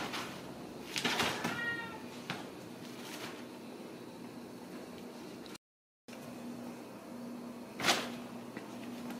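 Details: Ragdoll kitten at a home cattery in central Kansas, uttering a single short, high, wavering meow early on, followed by a steady low hum, a brief dropout and a sharp knock.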